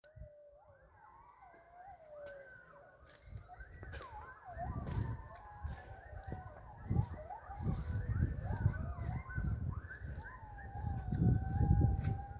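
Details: Coyotes calling together near a fishing spot, several wavering, sliding howls and yips overlapping, rising and falling in pitch and tangling into a chorus, over a heavy, growing low rumbling background noise.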